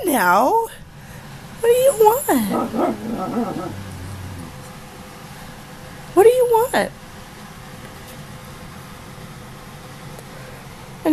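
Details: Arguing with her owner, nearly one-year-old female husky Ankita produces sweeping, whiny vocal slides that swoop up and down. Three separate bursts are spread over long quiet gaps, and the owner's voice comes in between.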